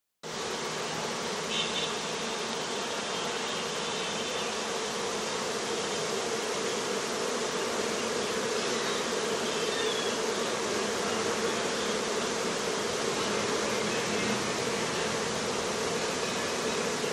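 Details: Honey bees at a Pakistani bee farm, filmed after rain, give a steady, dense hum, many wingbeats blending into one continuous drone.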